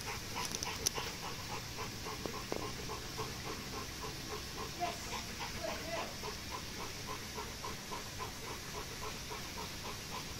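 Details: Dogs in a family home in Singapore as a new Golden Retriever meets a resident Rottweiler and German Shepherd, the residents asserting their place in the pack; rapid rhythmic panting, roughly three to four breaths per second, over steady background hiss.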